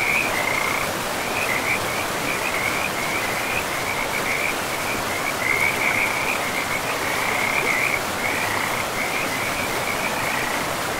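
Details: Continuous high-pitched pulsed trilling from frogs near a forest river, broken into short runs with small gaps, carried over the even, broad roar of the flowing water in a pristine woodland.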